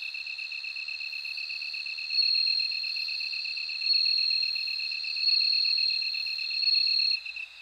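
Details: Bell cricket singing in loud, high ringing trills of about one and a half seconds, rising in waves, over a steady, fast-pulsed chirping from another insect.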